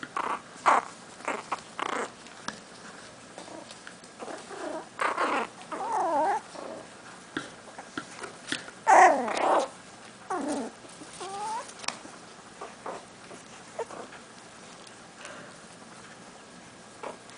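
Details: Yorkshire Terrier puppies, six and a half weeks old, fill the recording with overlapping high whines, squeals and little yelps, some sliding up and down in pitch, over a steady indoor hum.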